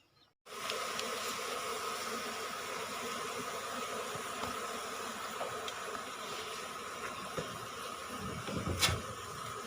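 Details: Asian honey bees from a wild colony nesting under the roof of a small rice-field hut, disturbed while the nest of five combs is harvested: a dense, steady humming drone with a constant tone, with one sharp click near the end.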